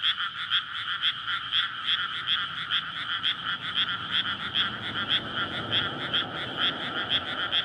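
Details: May night in a flooded rice paddy where frogs gather to breed and court, a road running alongside; rhythmic ringing croaks pulse about twice a second, with a faint low engine drone growing toward the end.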